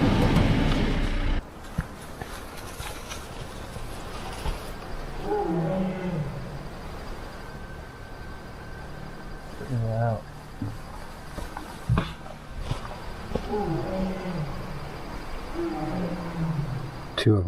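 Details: Two tigers call to each other at midnight right beside a tent in the remote Babai River Valley, Himalayan foothills of Nepal, deep moaning contact calls over a man's hushed voice; chital deer alarm calls follow.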